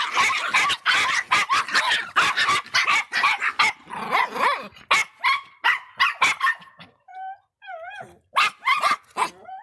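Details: A bad-tempered Miniature Pinscher barks in fast, sharp, high yaps almost three a second, then breaks into a few wavering whining squeals before resuming shrill barking.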